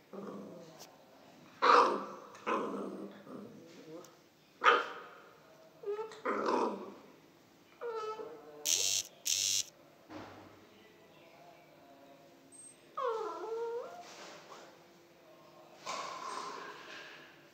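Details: One-month-old pit bull puppy named Max, being trained to bark by being shown treats like a biscuit. Short, high yapping barks come in scattered bursts, with a drawn-out, falling whine-like cry midway. Human speech and sharp clicking noises are also heard.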